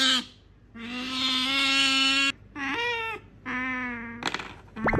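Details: Sakura, a female pet otter, begs for an item her owner holds, giving long steady whining squeals in three drawn-out bursts with rich harmonics, the middle one rising briefly, and a short sharp upward chirp at the end.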